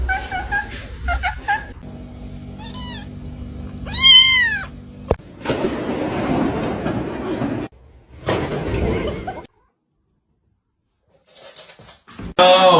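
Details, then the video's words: Crying kitten giving short, rising-then-falling meows, one louder drawn-out cry in the middle, amid indoor noise, a few brief voices and a silent gap. "kitten meowing crying"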